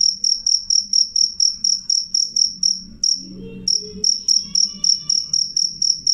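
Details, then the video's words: Cricket chirping loud and clear: high, shrill pulses repeated about twice a second, breaking off briefly after three seconds before resuming, with faint tonal notes and a low hum in the background. "suara jangkrik jernih keras"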